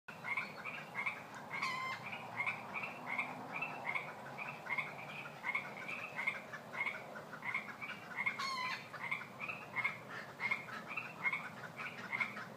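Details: A dense night chorus of Pacific chorus frogs in Fair Oaks at bedtime, many voices overlapping in quick, raspy two-part croaks.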